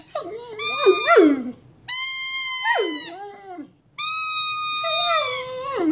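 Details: Pet male Mastiff, a big dog, howling in three long drawn-out cries, each a shrill sustained tone layered over a warbling lower moan that sags downward at the end of the phrase.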